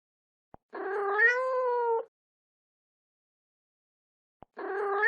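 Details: Domestic cat giving a drawn-out, slightly rising then falling meow lasting over a second, with a second meow starting at the end; short clicks before each, otherwise quiet.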